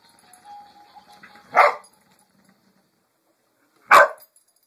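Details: Dog barking at a pink pig bumble ball toy indoors: two single sharp barks a little over two seconds apart, with a faint steady tone from the toy before the first.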